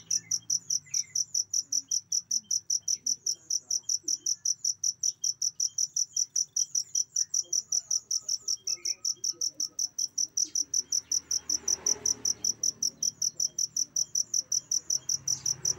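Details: Cricket calling to serve as tutoring material for caged songbirds: sharp, high-pitched chirps repeated evenly at roughly two and a half per second, with a few faint soft ticks and a brief low noise swell near the end.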